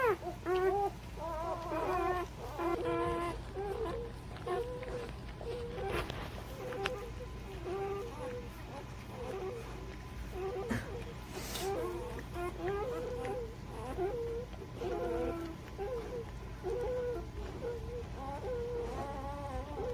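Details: Litter of newborn puppies, aged birth to three weeks, giving a busy chorus of short soft squeaks and grunts from several pups at once, repeated steadily over a low background hum.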